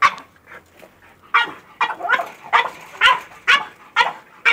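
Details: Excited French bulldog barking at a goat: a steady run of sharp, raspy barks about twice per second, some with a rough whining edge.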